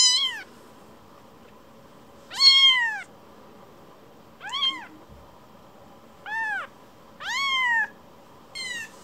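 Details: Rescued baby kitten that wanders away after being stroked and quickly comes back to be petted, meowing: six clear arched meows, some short and some drawn out, spaced irregularly over nine seconds in a quiet room.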